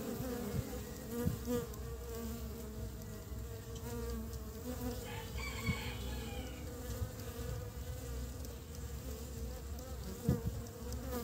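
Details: Honey bees bringing pollen home to build the nest at the start of spring; continuous low humming buzz from many bees, with faint bird chirps partway through.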